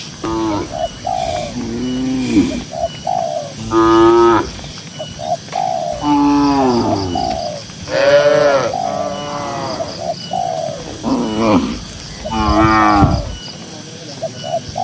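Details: Tame herded cattle grazing in a cool green rural pasture. Several deep, drawn-out moos with rich harmonics rise and fall, spaced irregularly a few seconds apart. Short soft dove coos repeat in the background.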